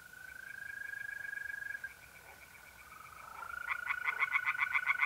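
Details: April night at a pond in north-eastern Italy, where a continuous trill of mole crickets dominates until tree frogs break in near the end with a fast run of loud, pulsed croaks.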